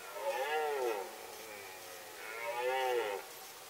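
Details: In the Sandomierz Forest during the 2018 rut, a red deer gives two arched, moaning roars about two seconds apart. Each rises and then falls, with strong overtones.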